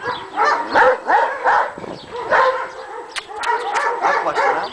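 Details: Several Akbaş dogs on a Kangal and Akbaş farm in Karacabey, Bursa, Turkey, barking nonstop, described as very dangerous; a rapid, irregular run of harsh barks and yelps overlapping through the whole stretch, with a man's voice faintly in the background.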